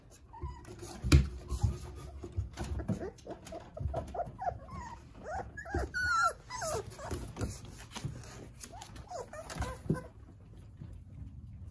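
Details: Jindo litter of nine puppies with their mother Sarang, playing together; many short, squeaky whimpers overlap in a busy chorus, one louder drawn-out whine near the middle, over steady rustling and soft thumps.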